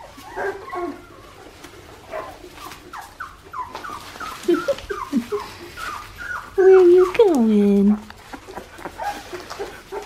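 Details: Australian Shepherd puppies, two and a half weeks old, bred on a farm in Oklahoma: a run of short, high squeaks and whimpers, each sliding downward, followed by a longer drawn-out whine that falls steadily in pitch, with faint human voices in the background.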